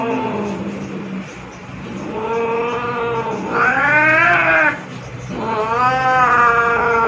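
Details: Zurro, a two-year-old male pet cat described as angry by nature yet loving, gives three long drawn-out yowls, the first low and moaning, the last two louder, rising and then falling in pitch.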